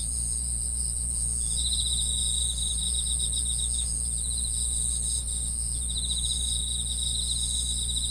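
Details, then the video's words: Chorus of grass insects: high, rapidly pulsed trills and sustained ringing tones run throughout, with a steady low droning hum beneath. "풀벌레 소리"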